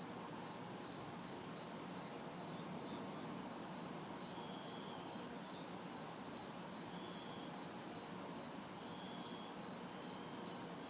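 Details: Night insect chorus of crickets and cicadas, recorded in a backyard in the city during a humid summer night: evenly spaced piercing chirps, an intermittent ultra-high sizzle in blocks, and a low wash of distant traffic.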